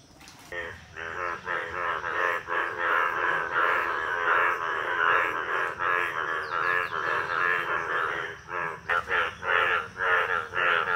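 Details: Indian bullfrogs calling from a village pond in the monsoon breeding season, males turned yellow with two blue vocal sacs; loud, harsh, nasal pulsed croaks overlap in a dense chorus, swelling and fading about every second and a half.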